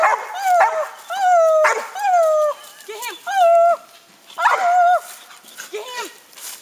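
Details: Treeing a raccoon, young dog Gator gives repeated drawn-out bawling barks, each with a flat then falling tone, interspersed with sharper short yelps and a man's encouraging voice.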